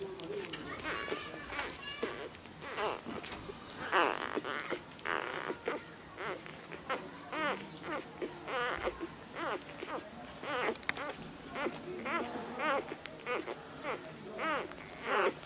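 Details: Nursing Labrador Retriever puppies jostle for milk, giving a steady run of short, wavering squeaks and whimpers, some rising then dipping, repeated roughly every second amid shuffling and rustling.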